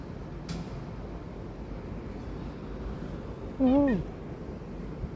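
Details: A cat gives a single short, loud harmonic meow that rises slightly then drops, lasting under half a second, over steady background noise with a faint earlier click.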